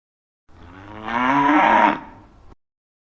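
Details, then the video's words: Grazing cow in a field calling its companions, a two-second moo that swells from a low, rough start to a louder, brighter middle and fades back down; no other sounds. "The Sound of Cows Calling their Friends Moo"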